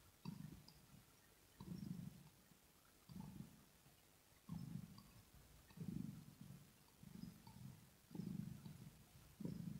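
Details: Kitten's throat purr recorded up close, softer and lower: eight or so murmuring low bursts, each lasting under a second and separated by short quiet pauses, with faint smacking clicks.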